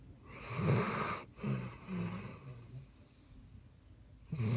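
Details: Loud snoring from a Basset Hound: a harsh, rattling inhale, then softer sputtering exhale puffs, and another heavy snore beginning at the end.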